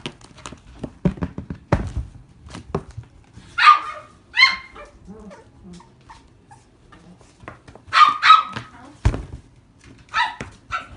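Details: Cavalier King Charles Spaniel kept at a pet store in Kushiro, giving short, sharp barks and yips in pairs with pauses of several seconds between them, against a background of faint clatter and room noise.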